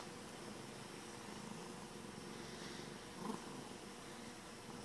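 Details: Contented domestic cat purring, a quiet steady low rumble with gentle rhythmic swells throughout and a brief slightly louder rustle near the end.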